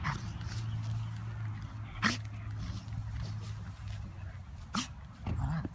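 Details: Golden retriever, almost 13 years old, rolling on his Kong toy as a favourite pastime; low, steady groaning hum runs through most of the clip, broken by sharp clattering knocks from the toy and brief whimper-like rises.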